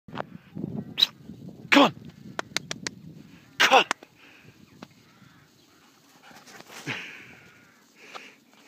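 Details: Siberian Husky on the attack, giving sharp sneezy huffs and short bark-like bursts in the first four seconds, followed by quieter breathy grumbles and a faint drawn-out whine toward the end.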